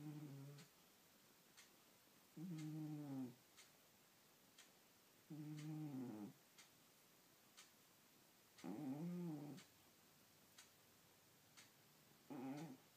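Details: Domestic cat asleep indoors, snoring: low, throaty droning breaths with a buzzy tonal edge, each lasting about a second and returning roughly every three seconds in a quiet small room.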